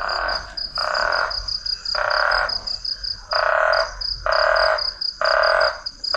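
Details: At night in hot, very humid Guinea-Bissau, a chorus of frogs gives harsh, nasal croaks, each about half a second long and repeating roughly every second, over a thin, high pulsing trill, probably insects or more distant frogs.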